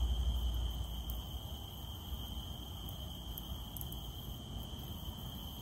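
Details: Cicada calling in the rain: a steady, unbroken high-pitched whine holds throughout, over the dense patter of raindrops and a low rumble.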